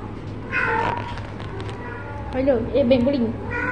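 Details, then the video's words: Pet cat playing with mummy, giving two short harmonic meows, one near the start and a longer wavering one later, with background talk and a steady low hum indoors. "My Cute 😍 cat playing with mummy"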